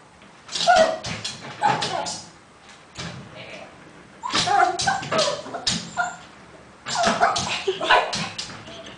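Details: Shih Tzu called Pimpolho (Pimpo), indoors watching TV in the living room, giving sharp, excited yips and barks in three bursts, each a quick run of short calls, with human voices mixed in.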